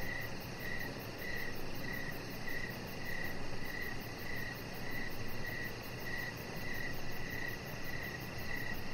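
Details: Crickets heard on an evening deck where a chihuahua puppy lies; softer high chirps keep a steady beat, about thirteen of them, partly sunk beneath a heavier low rumble of background noise.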